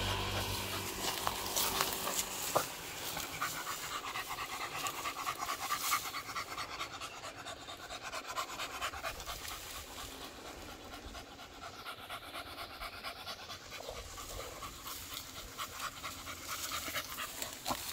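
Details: Beagle on a morning walk, panting quickly and steadily, about two breaths a second, as soft breathy bursts over faint outdoor background hiss.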